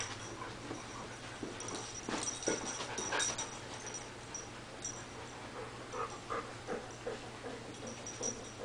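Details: Small female dog that wants to play with the cat, giving soft, high whimpers and snuffles, with several short tonal whines late in the clip over scuffling, rustling bursts and a low steady hum.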